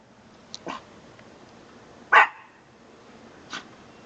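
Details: A dog giving a few short, soft barks: a faint pair near the start, one louder bark about two seconds in, and a quieter one near the end, with a woman speaking around them.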